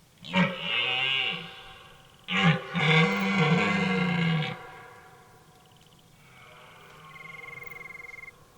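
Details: Red deer bellowing in a forest during the rut at the start of autumn; a hoarse, powerful call recorded with binaural and EM184 microphones on Tascam DR5 MK3 and Zoom F3. Two deep, raspy roars, the second longer, then a steady high pulsed trill.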